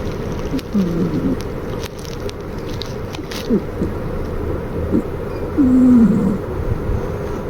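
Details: Maruko, a flat-faced Exotic Shorthair cat, snoring in a way likened to an old man; low, rough nasal snores with short whistling tones, several uneven breaths over the span, with faint background hiss.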